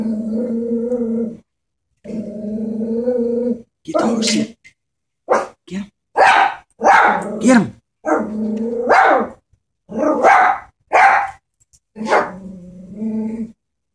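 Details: Pet Chihuahua, scared of a stuffed animal horse, alternates long steady growls with clusters of quick shrill barks; a person speaks briefly, urging care.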